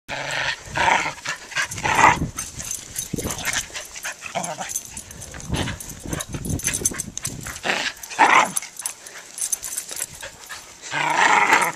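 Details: Pomeranian puppy and Corgi playing tug with a rope, the corgi pulling while the puppy chases him; several short harsh bursts with squeaky yip-like tones, spaced irregularly over about twelve seconds, over rustling scuffle noise.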